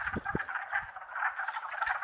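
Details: Spring chorus of wood frogs in Longkill Woods wetlands, April 2014, a dense mass of rapid duck-like clucking croaks, with a few soft thumps of footsteps as the recordist walks closer.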